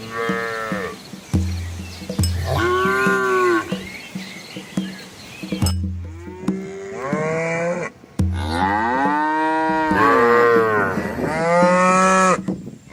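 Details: Herd of red village cows and calves wading across a small river among green trees in rural Asia: a series of arching moos, some overlapping, from several animals in quick succession, over steady low background tones.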